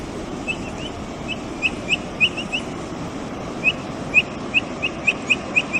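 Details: Brazilian capybara chirping while it eats: quick, bright, rising peeps in irregular bursts, a pause near the middle, then a denser run of evenly spaced chirps, all over constant background hiss.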